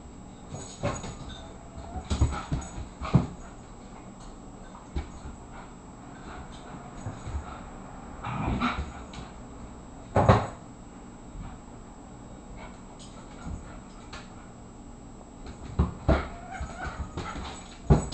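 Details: A 24-pound Irish Terrier boxing in play with an 18-pound companion, the pair named Moose and Squirrel. Short, scattered yips and whimpers rise in brief bursts amid quiet stretches, mixed with scuffling and thumping noises from the tussle.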